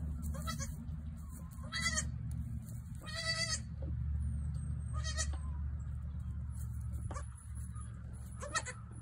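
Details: Newborn female goat kid bleating: five short, high, quavering bleats spaced one to three seconds apart, over a steady low rumbling hum.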